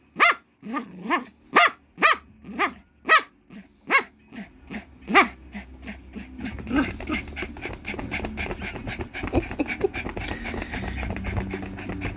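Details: Poodle named Rocky at play with a new toy, giving a string of sharp, evenly spaced barks roughly every half second for four seconds, then softer scuffling and mixed background noise.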